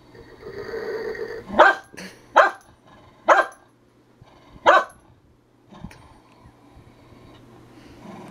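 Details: Herding dog barking in short sharp bursts, four loud barks spaced about a second apart, then quieter shuffling and a low hum; a person urges it on beforehand.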